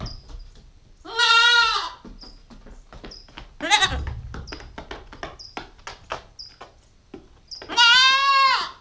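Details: Nubian goat kid, a female nine weeks old, filmed on a GoPro stakeout, giving two loud wavering bleats several seconds apart, with rustling and clicking knocks between them and faint bird chirps in the background.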